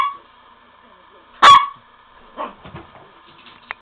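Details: A Miniature Pinscher running after a ball gives a single sharp, high bark over a faint steady hum.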